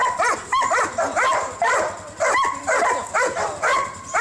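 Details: At a Husky kennel on 25 November 2012, dogs give a rapid run of high yelping barks roughly twice a second, voices overlapping in a lively chorus.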